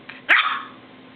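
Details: A pet dog indoors gives a single sharp bark, apparently wanting to go out; the owner answers afterwards.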